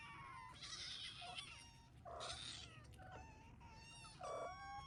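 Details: Hungry Ragdoll kittens waiting for breakfast at home, giving a run of overlapping high mews, some short and some drawn out, repeating roughly every second over a steady low room hum.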